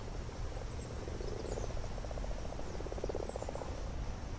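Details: Common frogs gathered in a garden pond to spawn, males clinging piggyback to females while rival males clamber on top, recorded up close with a mini-camera; soft pulsed purring croaks in two overlapping bursts over a low background rumble.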